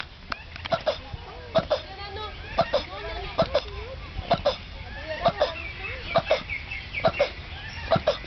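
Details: Male turtle mating with a female in a zoo on Mauritius, calling loudly enough to carry across the zoo for over twenty minutes; short sharp grunting pulses repeat roughly once a second, with chirping birds and people talking nearby.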